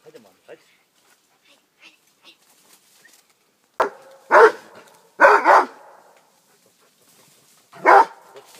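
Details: Rhodesian Ridgeback named Armani, 15 months old, facing a wild boar: after quiet murmuring, a run of loud, harsh barks comes in three close bursts, then one more bark after a pause, with faint human voices.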